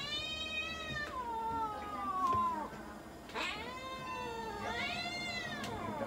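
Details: Munchkin cat at a veterinary clinic in Nagoya, Japan, during an examination and blood draw, giving long drawn-out harmonic yowls that rise, sag and rise again. Three cries in a row, with a brief gap near the third second.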